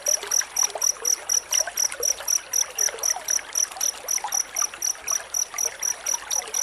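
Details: Cricket chirping in a tight rhythm, a master sound for tutoring white-rumped shamas: high, regular pulses near four per second, slightly softer here, set against a lively trickling, crackling background.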